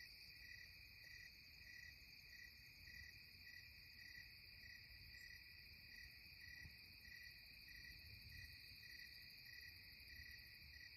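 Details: Twilight insect chorus attributed to cicadas in the Catskills, a continuous shrill buzz high up with regular pulses roughly twice a second, constant and even throughout, over a soft low background hum.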